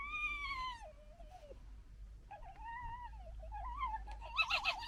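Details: A fox from a local family, in noisy interactions such as gekkering and arguing, gives high, wavering whines that slide downward, then ends in a harsh, raspy burst.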